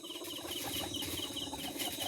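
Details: Caged guinea pigs kept three tiers high make short, patterned squeaks and soft chattering in quick succession against a constant high hum and faint pulsing tones.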